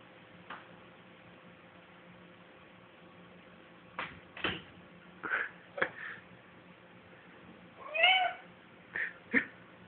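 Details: A large tabby cat indoors, hunting a moth. Short, soft chirping meows and chatters come in scattered bursts, with one louder, wavering meow near the end. The room is otherwise quiet.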